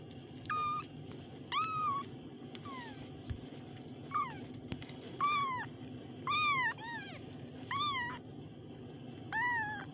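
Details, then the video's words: Kittens mewing repeatedly, about one cry per second, each a clear high call with a bent, falling tail, a few overlapping, over faint background hum. "kittens Meow"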